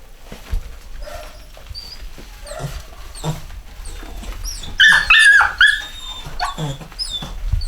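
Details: Chocolate Cockapoo puppies (Cocker Spaniel x Poodle), a 2015 UK home-bred litter, with soft background peeps rising into a loud, quavering, warbled whine midway, followed by scattered high squeaks.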